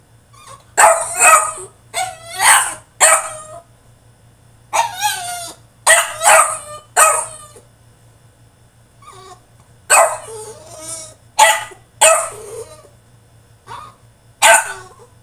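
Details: French Bulldog throwing a tantrum in his cage: bursts of harsh, rising barks and yelping whines come in uneven clusters, with short quiet gaps between them and a faint steady low hum behind.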